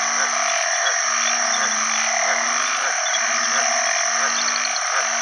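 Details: After heavy rain at the start of the rainy season, house-dwelling banded bullfrogs gather in water to call for mates. Low, droning moans come in quick succession against a loud, continuous high-pitched chorus of frogs.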